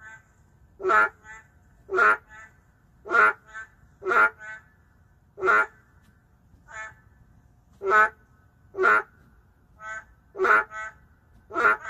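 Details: Endangered narrow-mouthed frogs in an urban setting: loud nasal croaks roughly once a second alternate with softer, distant replies, forming a steady back-and-forth chorus of two callers.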